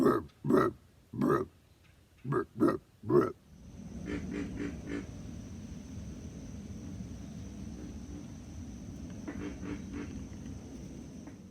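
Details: A pig frog of southeastern US swamps gives a short series of very low, deep, hoarse grunts, much like a pig rooting in mud.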